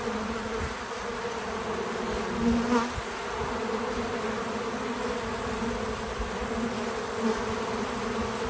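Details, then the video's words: Several bees at an outdoor feeder on a small farm produce a continuous droning buzz, its pitch wavering slightly as insects come and go, swelling briefly near the middle; low rumbles and rustling below, no voices or music. "Relaxing Bees at the Feeder 🐝 | Natural Buzzing Sounds"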